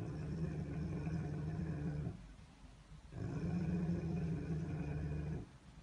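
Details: Rottweiler giving a deep, rumbling growl indoors: two long, steady low growls of about two seconds each, separated by a brief pause.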